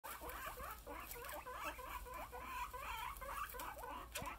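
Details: Several happy pet guinea pigs squeak in a quick, continuous run of short rising and falling notes, overlapping with almost no pauses. Faint rustling sounds underneath.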